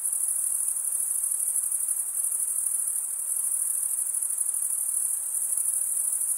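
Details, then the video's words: A steady wall of cricket chirping, a piercing high trill that never pauses and barely changes in loudness, with a soft rapid shimmer inside the tone and nothing else heard. "Most relaxing cricket sound"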